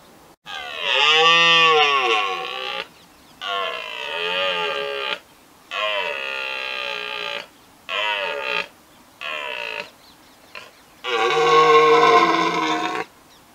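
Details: Red deer stag roaring in the rut, Richmond Park: a series of six loud, groaning bellows of one to two seconds, separated by short pauses, rough and harmonic, with mild background noise.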